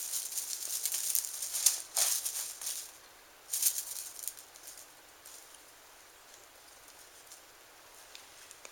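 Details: Bursts of dry, hissy rattling and rustling in the first four seconds, then quiet background hiss with no animal voice.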